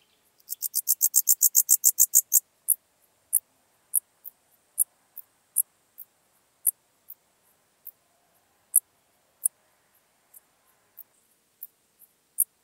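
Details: Common dark bush-cricket singing at Tuttlingen, Germany, 8 October 2022. It opens with a rapid burst of a dozen quick high chirps, then settles into single sharp chirps spaced roughly every half second to a second.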